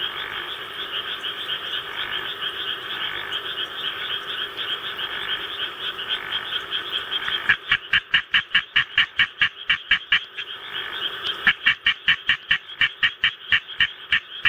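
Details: Pet Japanese tree frog kept at home, calling in response to a played recording of rice-paddy sounds: a steady frog chorus from the recording, then loud rapid pulsed croaks repeated in quick bursts over the second half.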